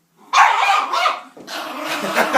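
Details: Reg, a pet dog, angrily telling off a door indoors: two long, harsh, roaring bark-growls, the first loud and rough for about a second, the second lower and drawn out, rising again at the end.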